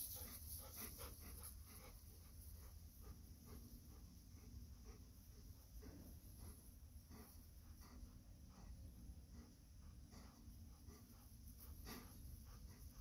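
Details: Golden Retriever on a walk among terraced fields, waiting for the five o'clock chime music and not howling along; quick, steady panting breaths repeat throughout over low rumbling background noise.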